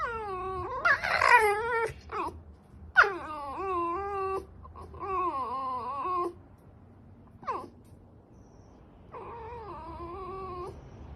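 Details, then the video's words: Fox making long, wavering, harmonic whines and yelping cries in bursts with short gaps between them, in a quiet indoor space. "Foxxo makes noises"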